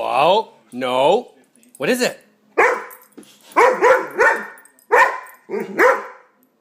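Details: Indoor dog that hates an air pump reacting to it with odd noises: a string of short, wavering, whine-like yelps rising and falling in pitch, about eight bursts spaced roughly a second apart.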